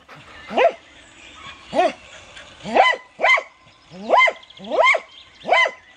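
A Cocker Spaniel barks repeatedly, each bark a short, bright, harmonic yap in the mid range. The barks come at uneven intervals of roughly a second, with quiet gaps between.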